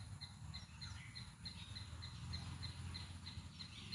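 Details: A group of squirrels gives a fast series of short, high chirps over a low outdoor rumble.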